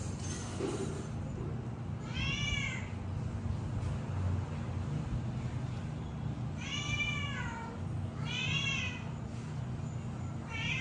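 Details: Three kittens give high, arching meows with rich harmonics over a steady low hum, calling for milk.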